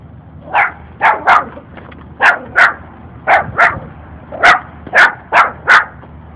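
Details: A small puppy persistently barks at a stranger it is following with another puppy, loud shrill yaps mostly in quick pairs, about thirteen in six seconds, with low outdoor rumble behind.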